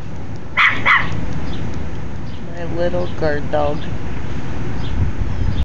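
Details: Pet dog barking at the neighbours next door: two sharp barks early on, then a woman's voice calling the dog a funny little guard dog, over steady low rumbling noise.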